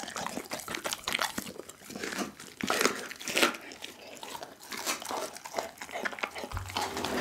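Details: Pit bull named Doggy eating a whole raw chicken indoors, filmed close-up on an Insta360 ONE R camera: dense crunching and cracking of bones, irregular bursts of wet bites, with a brief low hum near the end.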